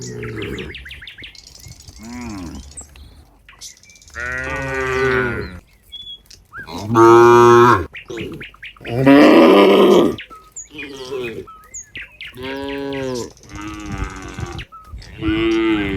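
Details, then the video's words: A herd of cows walking together back to their pen gives a run of moos about every two seconds, mixing long deep bellows with shorter higher ones, a few louder and harsher, with faint chirping in the gaps. "the sound of cows mooing"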